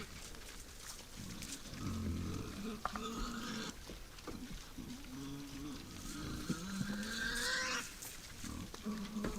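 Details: Night-time wild boars feeding at a woodland feeder make a string of short, nasal, moaning grunts and higher whining squeals at irregular intervals, over a steady hiss of background noise.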